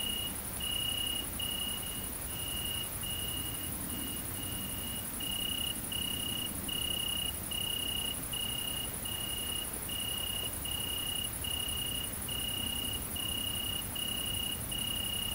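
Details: A great green bush-cricket (Tettigonia viridissima), filmed mating in central France countryside on 22 August 2016, keeps up a steady, high, hissing buzz with a fainter pulsed chirp running alongside.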